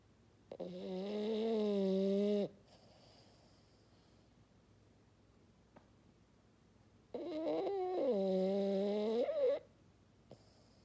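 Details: French Bulldog named Maddi snoring like a fog horn: two long, droning tonal snores about two seconds each, separated by a quiet pause of several seconds, with a faint click between them.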